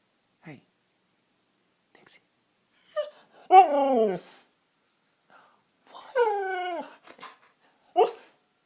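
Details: Pet Siberian Husky, a female, talking to her owner while trying to sweet-talk him into giving treats: drawn-out whining howls with wavering, falling pitch, two longer phrases near the middle and short yelps around them, with quiet gaps between.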